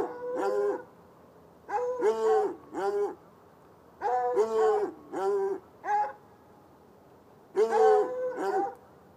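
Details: Two chained hounds, one white and one dark, bark on a Saturday night from a bushy lot beside a red outbuilding and irrigation ditch, heard across the ditch about ten yards off; loud, tonal, baying barks arrive in clusters of two or three.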